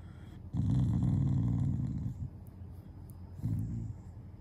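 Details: A Shiba Inu lies down and growls as a show of affection toward its owners, not anger. A deep, rumbling growl holds for about one and a half seconds, and after a quiet gap a shorter half-second rumble follows.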